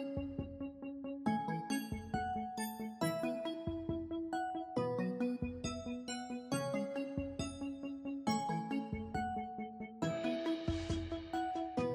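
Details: Piano and keyboard music plays throughout, a steady sequence of chords with no animal sound.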